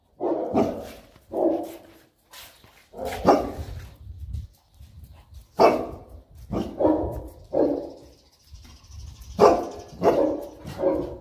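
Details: Enzo and Diva, a Boerboel couple in Egypt, play together, with a steady run of deep, rough barks about once a second and whimpery, grunting noises between them. A faint high whine sounds near the end.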